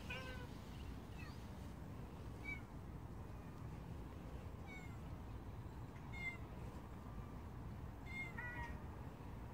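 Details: Street stray cat meowing repeatedly, about six short, slightly rising cries spaced one to two seconds apart, with continuous low background rumble.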